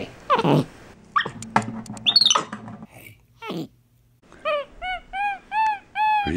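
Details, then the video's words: Pet capuchin monkey MonkeyBoo talking with his owner in a room; after human voice, a series of six clear, high squeaky calls arching up and down, each about a third of a second, spaced regularly. "Capuchin Monkey Talking Compilation!"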